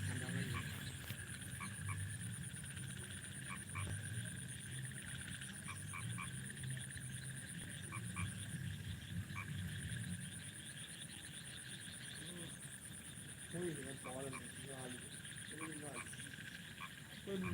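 Frogs call at night in low, repeated croaks, with insects buzzing steadily above.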